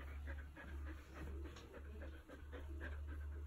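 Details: Siberian Husky lying beside a man at a bench press; quick breathy panting, soft and fast, over a steady low electrical hum.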